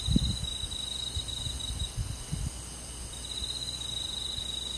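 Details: A cricket trills almost without pause on a summer night in a rural forest, a thin high buzzing tone. Faint low knocks and rustles sit in the background.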